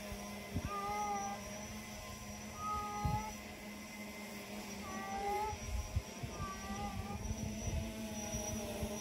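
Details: A cat by a kennel cat fence meows repeatedly: short, level, tonal cries roughly every two seconds, set against a constant low mechanical hum and occasional knocks.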